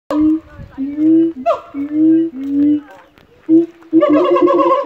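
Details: Three siamangs at Darling Downs Zoo, Australia, give loud, resonant hoots and barks with rising swoops, calling to establish their territory.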